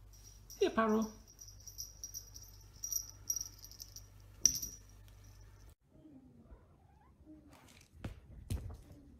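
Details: A pet cat named Paro, indoors during a fetch game, gives one short descending meow early on, answering calls of its name; a person's voice follows, with a steady high whine and faint soft cries later.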